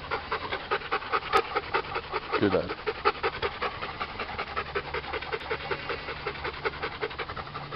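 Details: Bernese Mountain Dog panting in the heat, rapid regular breathy huffs, a short sharp click early on and a brief human voice mid-way over the panting.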